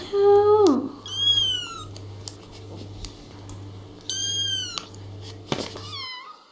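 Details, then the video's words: Little kittens meowing: a lower, drawn-out falling meow opens, followed by high-pitched, tonal mews near one second and again around four seconds, then a brief squeak before six seconds, over a steady low hum. "Little kittens meowing and talking"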